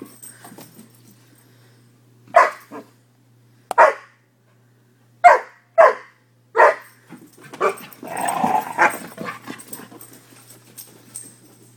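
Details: Two five-month-old Newfoundland/Labrador mix puppies, brothers from the same litter, bark in short, separate bursts while playing.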